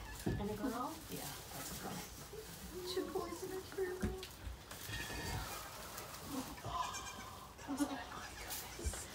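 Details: Goats at the Goats of Anarchy sanctuary, where rescued mother Maybel has just given birth to four kids: several short wavering, nasal bleats with rising and falling pitch, spaced a few seconds apart, over close human voices talking.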